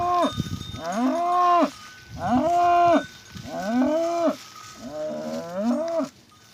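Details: Angus cattle lowing: four long, resonant moos about one and a half seconds apart, each swelling and dropping in pitch at its close, with faint background hum.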